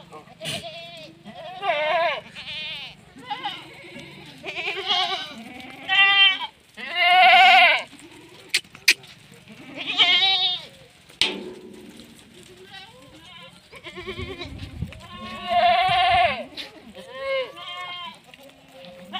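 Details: Female Sirohi goat at a Rajasthan goat farm, India, bleating again and again: loud, nasal, arching cries roughly every one to two seconds, some long and wavering, with men talking in Hindi between calls and occasional thumps.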